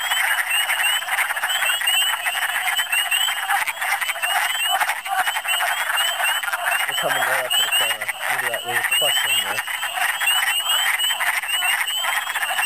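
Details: Wood frogs booming in big numbers during a Michigan spring. Thick clucking chorus with steady high peeps throughout. A man speaks briefly in the middle, from about seven to nine and a half seconds.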